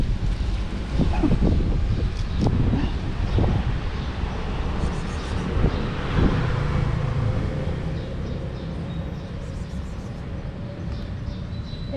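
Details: Steady vehicle rumble and wind noise with a few faint knocks, and no animal voice heard.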